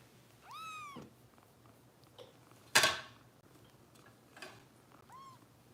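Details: Foster kitten named Harper at a kitten rescue in Los Angeles, indoors during bottle feeding: a high, arching meow that rises then falls, a sharp knock or clatter midway, and a second shorter meow near the end.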